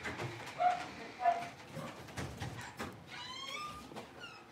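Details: A litter of five Blenheim Cavalier King Charles Spaniel puppies in their new big pen; soft yelps at first, then a high, wavering whine with faint rustling underneath.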